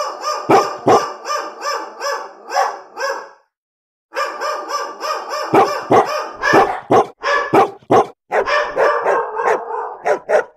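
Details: Angry dogs barking, a real recording: rapid harsh barks in quick succession, a brief pause, then more overlapping barks at a fast, uneven pace.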